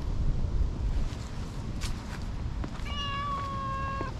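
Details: Tortoiseshell cat that had been napping up in a tree, now rubbing hard against someone to show affection, gives one long, steady meow lasting over a second, level and clear, over a low outdoor rumble with rustling and soft taps before it.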